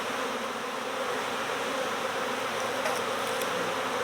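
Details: Honeybee swarm during swarm season, bees recovered from next door: a dense, steady hum of many wings with a low drone band and bright overtones, unbroken throughout, with faint ticking clicks near the end.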